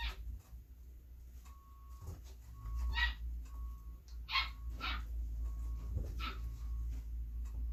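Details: Belgian Malinois female puppy, Beastie/Barron, born 26 September 2021, hand fed indoors; scattered short, high yelps come in pairs and singles across the second half, with a low room hum and an intermittent thin electronic tone.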